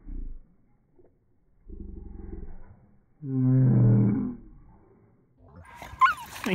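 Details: Pet dog letting out a bear-like roar: a brief low grunt, then a longer buzzing growl, then a loud, deep, harmonic groan of about a second. A person speaks near the dog, and scraping and squeaky noises follow.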